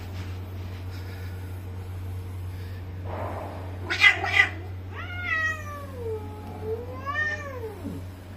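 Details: Male Bengal cat indoors, brought together with a visiting female for a mating meeting: after a brief harsh burst, a long drawn meow rises then slides down in pitch, followed by a second wavering meow, over a steady low hum.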